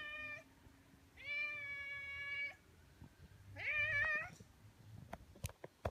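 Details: Greeting meows from a stray orange tabby, one of two that wait to welcome a person in a residential area: a brief mew, a long steady meow and a short wavering one, followed by clicks and taps.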